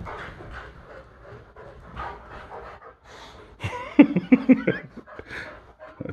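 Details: Boxer dogs play-fighting indoors: steady rough panting, then a burst of three or four short, harmonic growling barks in quick succession before the panting resumes; a person speaks faintly nearby.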